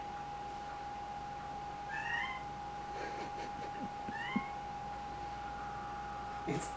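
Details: Pet cat Dexter, a male, playing peek-a-boo around a corner indoors, utters two brief upward-sweeping chirped meows about two seconds apart, amid light tapping and thumps and a constant humming tone in the room.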